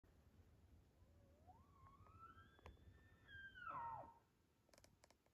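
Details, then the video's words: An elk bugles up close: a thin whistle slides upward, holds high, then drops away. "Elk Bugle up close"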